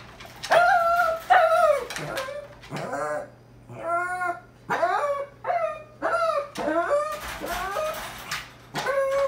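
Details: A puppy trying to escape gives a run of high whines and yips, each rising then bending down, in short bursts about every second across the clip, with no other clear sounds.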